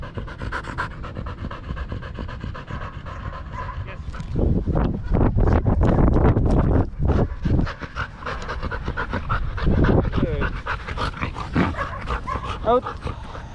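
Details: Danny, a Belgian Malinois in the Philippines, panting hard during a game of fetch: fast, rapid breathy puffs nearly three per second, swelling louder in the middle stretch, with faint background noise.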